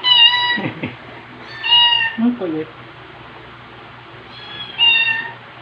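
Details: Margaret, a female white rescue cat with orange head and tail markings, once a stray: four bright, slightly falling meows spaced over several seconds, with a brief human voice between them indoors.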